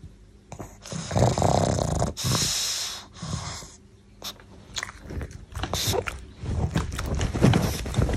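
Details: Pangpang the pug snoring while asleep indoors: irregular, harsh snorting bursts with wheezy, hissing breaths, some long and rasping, others short snorts in quick succession.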